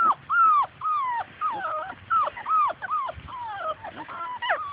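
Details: Labrador Retriever puppies, Grace and Sam's litter, romp outside chasing their mother; loud high whining yelps rise then fall, repeated quickly and unevenly in overlapping bursts, a chorus of several pups.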